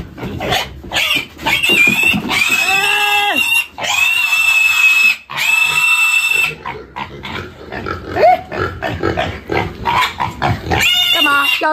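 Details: Half-year-old black pig grabbed by the head and held for weighing on a rural Chinese farm; repeated harsh, high screams and strained squeals, some long and wavering, alongside handling noise and human voices.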